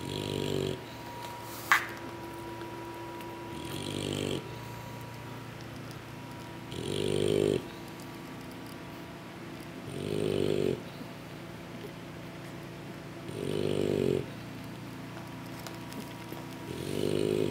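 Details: English Bulldog puppies asleep after a big feeding from their mother, snoring in rhythmic low rasping breaths about every three seconds, each breath a rough rumble with a brief hiss between, plus a faint steady hum and one sharp click.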